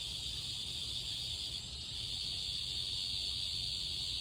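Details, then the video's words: Summer chorus of cicadas: continuous shrill hiss-like buzzing that holds an even pitch and loudness throughout, over a low background rumble. "Cicadas singing"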